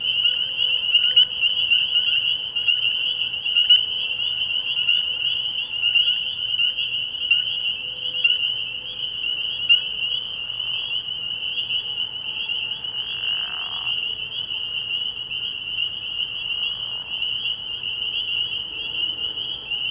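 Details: Spring peepers calling at night from a frog pond early in the year, a dense chorus of high piping peeps merging into a steady shrill band, with a few lower croaks appearing briefly.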